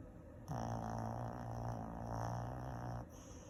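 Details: A Shih Tzu snoring with a steady, low, droning hum that holds for about two and a half seconds, slightly nasal and tonal rather than rattly, then cuts off.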